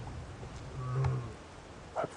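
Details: A young lioness just over three years old, possibly in false oestrus, gives a single deep, moaning contact call toward the observers, calling for the other lionesses of her pride, before a full roar.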